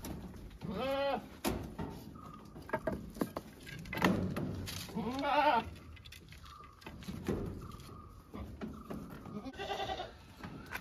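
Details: Domestic goats bleating, three quavering nasal bleats spaced a few seconds apart, with clattering noises and a faint intermittent high tone between them.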